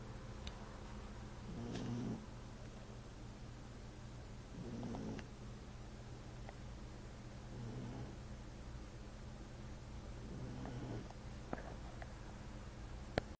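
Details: Sleeping French bulldog snoring in slow, regular low rasping breaths roughly every three seconds, with a few faint clicks and a constant background hum.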